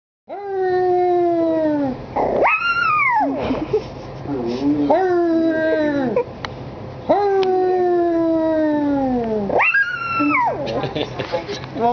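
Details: Puppy howling in drawn-out, falling harmonic wails, each lasting about two seconds, with higher whining yelps between them. A person's voice encourages it in the background.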